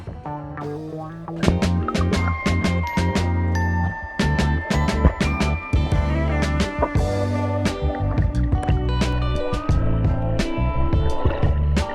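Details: Upbeat background music with plucked notes and steady beats plays with no animal sound.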